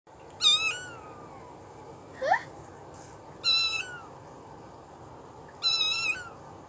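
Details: Kitten meowing indoors: three high, thin meows, each a brief bright note sliding down into a falling tail, spaced about two to three seconds apart, plus a short rising squeak in between.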